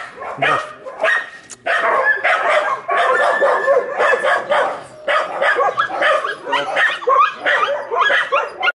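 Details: Ozi, a puppy up for adoption, giving a rapid run of sharp, high yapping barks in close bursts, a few short gaps between volleys, continuing for nearly nine seconds indoors.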